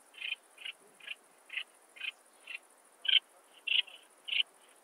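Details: Alpine saw bush-cricket, Barbitistes obtusus, Brixen, Italy, 11 September 2022, ultrasound detector recording: soft, evenly spaced scratchy chirps, roughly nine in five seconds, a few louder toward the end.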